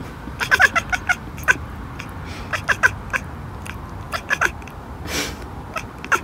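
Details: Cat chattering in short staccato runs of sharp clicks, each run of a few quick pulses, then a gap. A brief soft hiss-like rush comes near the end against a low background hum.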